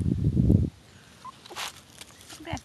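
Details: Miniature Pinscher and Jack Russell Terrier mix puppies Nick and Gyp, four weeks old, on their first day outdoors at their new home, January 15, 2011: a low, rumbling, pulsing growl for under a second, then quiet rustling and a brief faint squeak.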